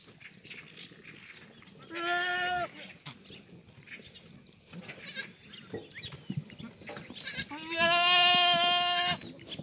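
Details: Black goats kept free-range on an antibiotic-free farm below Mucheoksan in Sangdong-myeon, Gimhae, South Korea, sunny Monday morning, 24 June 2019; two long, nasal, steady bleats, the second louder and nearly two seconds long, with faint birds between.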